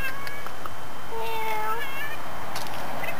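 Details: Non-stop meowing from a neighbour's domestic cat, recorded September 18, 2013. One clear, level meow lasts under a second, with fainter trailing tones afterward. A woman talks to the cat around it, and there are soft background noises.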